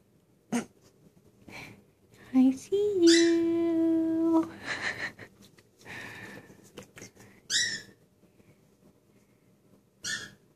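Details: A Dobermann pinscher waiting for someone indoors gives a short rising yelp, then a drawn-out, steady, low whining tone of about a second and a half, followed by breathy huffs and scattered clicks in a small room.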